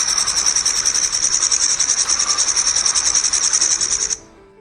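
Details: A grasshopper's dry, high buzzing stridulation of rapid pulses runs steadily for about four seconds, then stops abruptly; it is played for comparison with the Grasshopper sparrow, which is named for sounding like a grasshopper.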